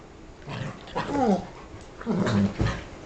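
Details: Dogs giving short growly barks with a low rumbling tone, two bursts around one and two seconds apart, indoors with some rustling.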